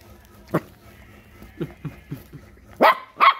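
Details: Puppy barking at a crab: one bark, then a row of soft, short huffs, ending in two loud, bright barks close together; faint background sounds throughout.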